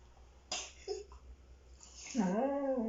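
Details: Siberian Husky play-fighting with a child indoors, making bear-like noises it produces only during these play fights. A few soft knocks give way to a drawn-out, wavering, moaning vocalization with rich overtones that rises and falls in the final second.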